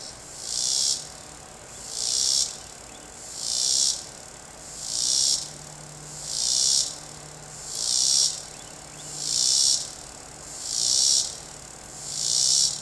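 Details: Cicada singing in a tree, a loud high buzzing burst that swells and fades about once every one and a half seconds, eight even pulses in steady rhythm over faint low background hum.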